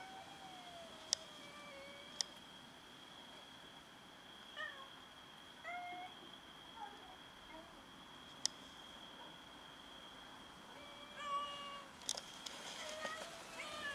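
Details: Several domestic cats meowing as they fight each other over food; soft, short, wavering meows, some rising or falling, come in scattered bursts, over a steady high-pitched whine and a few sharp clicks.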